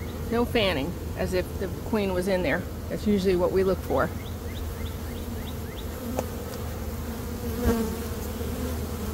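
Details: Honey bee swarm being caught by a beekeeper in early May after a dearth: a steady low droning hum runs throughout, overlaid midway by a man's voice talking, with small repeated chirps of a bird in the background.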